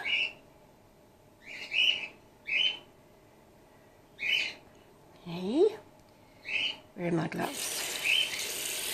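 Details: Gwickle, a female grey-headed flying-fox pup in care on her second day, bottle support-fed while her concussed mother recovers, gives short high squeaky chirps repeated every second or so; a brief lower human voice and a burst of rustling noise near the end.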